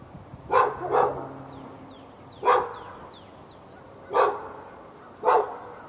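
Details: Dog barking for hours at the dog next door, behind a fence in Raleigh, North Carolina, morning into afternoon on February 15, 2012; sharp barks, a quick pair then singles about every two seconds, with small birds chirping behind.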